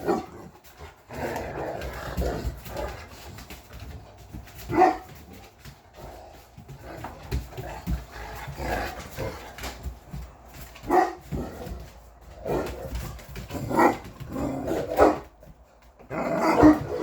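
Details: English Mastiffs from a group of six giant dogs (Roxy, Riley, Cammie, Sammie, Axl and Rose) talking back: short grumbling, woo-like vocal bursts scattered across the stretch, with a person's voice nearby indoors.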